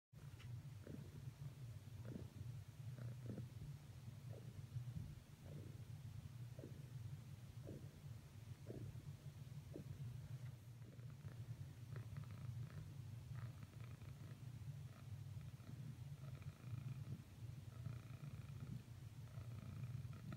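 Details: A female domestic cat purrs while repeatedly trying to cuddle up with another cat after earlier attempts failed; a steady low rumble runs throughout, with faint soft clicks and rustles on top.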